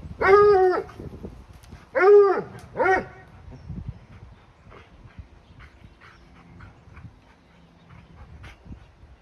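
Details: Playing tug-of-war against a 2-year-old Labrador-Husky mix, a 4-year-old Bluetick Coonhound bays with the rope in his mouth. Three strong, arched howls come in the first three seconds, then only faint scuffling and quiet noise.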